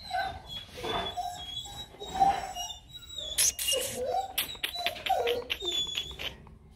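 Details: Rottweiler puppies in Vietnam, a litter from Bruno Slenio and Hanna Gervi, let out thin whining whimpers and short yips indoors, with people talking and calling to them between the cries.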